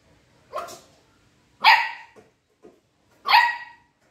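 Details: American Pit Bull Terrier puppies giving three short, high, yelping barks spaced over about three seconds, each bright and slightly harsh, with a faint brief squeak between the second and third.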